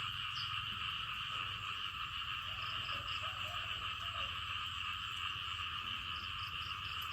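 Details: Frogs call together in a dense, steady, unbroken droning trill after rain in the rainy season in Thailand.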